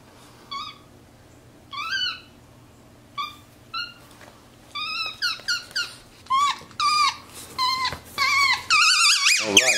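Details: Pet capuchin monkey vocalizing from a leather couch indoors, a series of short squeaky chirps that start sparse and quicken into dense, bent high notes toward the end, ending in a louder burst of mixed noise.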